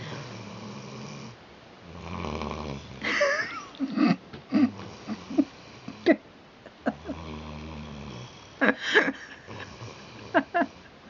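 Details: Kim, an 8-month-old Rhodesian Ridgeback pup, snoring indoors while asleep during a conversation; low rasping breaths in long drawn-out strokes with harmonic bands, broken by sharper snorts and sniffs.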